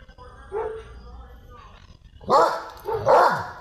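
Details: Doberman reacting to dogs barking in the street in Sri Lanka; quiet vocal sounds at first, then two loud, harsh barks near the end, with some speech in the background.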